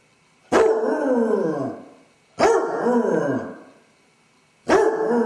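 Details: Basset hound named Dodger, home alone with separation anxiety after his owners leave; three loud baying howls, each opening abruptly and trailing down in pitch over about a second, spaced roughly two seconds apart.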